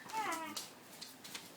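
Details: A male Siberian husky named Marius gives a short, falling, whining howl, talking and howling while asking for his dinner.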